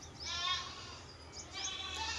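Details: In the morning on a street, a young goat gives two high, quavering bleats separated by a short pause, with hens and a bird also calling nearby.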